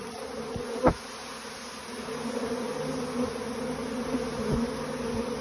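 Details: Honey bees swarming from a managed hive, leaving with the old queen while others cling to the outside; a steady, droning hum of many wings with a faint tone underneath and a brief click near the start.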